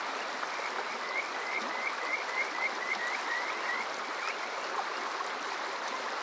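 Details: At Water Park Shirayama in Saitama's Chichibu area on a summer night, Kajika frogs give a rapid string of bright upslurred whistles, about a dozen in three seconds, amid broad stream rush; TASCAM DR-05X recording.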